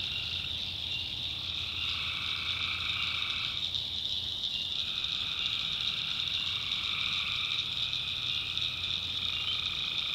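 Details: Tree frogs calling at night in the backwoods of North Carolina, a dense unbroken chorus of high, shrill trilling voices layered in several bands, with a lower band that starts and stops every few seconds.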